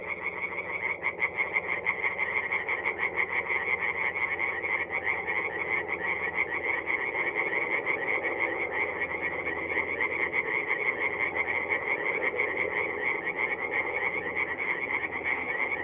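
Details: Singing tree frogs at a forest pond at night, mid-April, North-East Italy; a long, loud, unbroken chorus of rapid rasping croaks from many frogs, pulsing steadily throughout.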